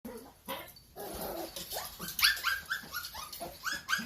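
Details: Two-month-old Toy Poodle puppy filmed indoors, giving a rapid run of short, high, yelping barks and whines, about three per second, sharp and bright, loudest after the first second, with a softer murmur at the start.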